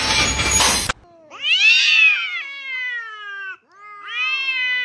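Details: Cat in a compilation of fighting cats: two loud, clear, harmonic meows, the first long and slowly falling in pitch, the second shorter and rising then levelling off. A brief burst of noise opens the recording.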